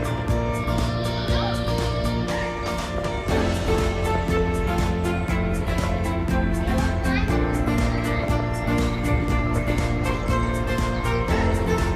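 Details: Steady music with a faint voice underneath and no animal sounds at all.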